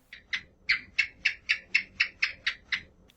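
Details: House gecko (cicak), in an Indonesian children's lesson rendering its call as 'ck ck': a rapid run of about eleven sharp, dry clicking chirps, evenly spaced and slightly accelerating, in a quiet room.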